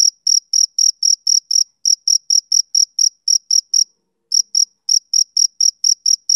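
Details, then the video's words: Rapid shrill chirps from a male cricket, roughly three to four per second, the rhythm briefly halting for about half a second near the four-second mark before resuming. No other sounds. "Cricket Chirping Sound Effect"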